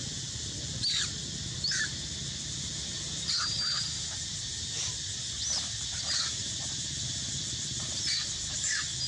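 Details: Squealing cries of an injured young mother monkey trying to get away from a king monkey, repeated every second or so throughout, some sharp and rising, with a continuous insect chorus and low rural rumble behind.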